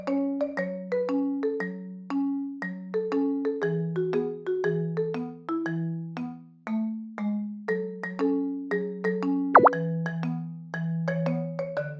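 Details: Mallet-percussion music plays throughout, a bright marimba-like melody of repeated plucked notes with one sharp plop near the end, and no animal voice anywhere.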